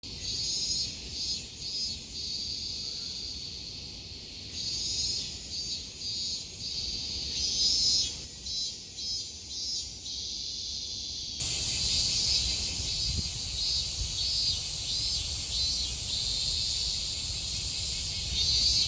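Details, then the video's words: Cicadas in summer at Kasai Rinkai Park, Tokyo: a dense, high shrill chorus that surges and fades in pulsing bursts during the first half, then settles into a steady, louder continuous drone. "매미소리에 이끌려- / せみの声に引かれて-"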